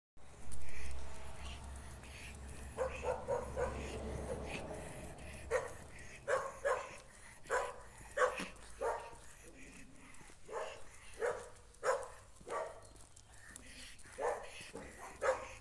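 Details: Jack Russell Terrier barking at a stray dog met while walking down a street; sharp barks repeat roughly every half to one second for ten seconds, after an opening low rumble and faint voices.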